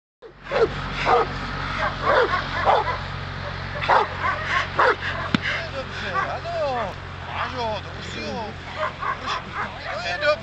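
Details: Hovawart named Attis, 19 months old, barking during protection training: short, sharp barks repeated in quick bursts throughout, mixed with a person's voice and a low background hum.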